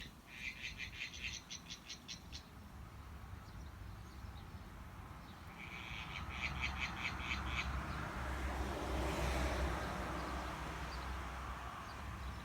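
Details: In a garden in New Zealand, a frog gives two bursts of rapid, rattling pulsed calls over a steady low background rumble. Frog.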